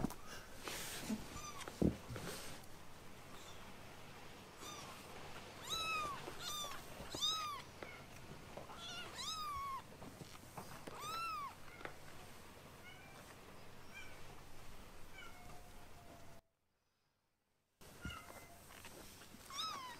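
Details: Two rescued foster kittens, Ashiro and Akuro, indoors while learning to eat weaning food; a run of high, arched meows around one kilohertz repeats through the first half, with fainter mews later and soft rustling between.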